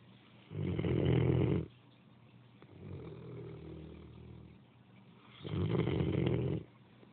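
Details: Great Dane snoring: deep, rumbling snores in broad low bursts about a second long, loud ones roughly every five seconds with a softer, quieter breath in between.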